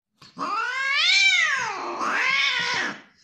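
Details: Playing kitten giving one long drawn-out meow that rises then falls, followed by a second shorter, slightly lower wail, in a small indoor room.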